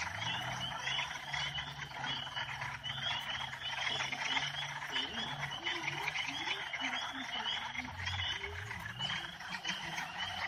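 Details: Chorus of Northern spring peeper frogs, many high, rising peeps overlapping without pause, plus some lower croaking notes and a faint low hum in the background.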